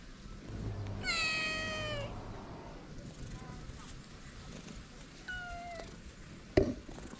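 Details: Hungry feral cat, one of a calico and ginger pair, gives one clear drawn-out meow that slowly falls in pitch, followed later by a fainter short mew and a sharp knock near the end.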